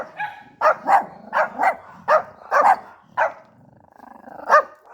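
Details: Yorkie barking: a small terrier's high, sharp yaps repeated roughly every half second, some in quick pairs, with a softer whining tone between barks near the end.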